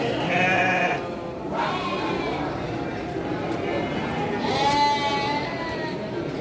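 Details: Female Garut sheep at the Andir market, Garut, Indonesia, where sheep and goats are sold on Monday and Thursday mornings, 5 April 2021. Several quavering bleats, one bright and drawn out, sound over dense background voices.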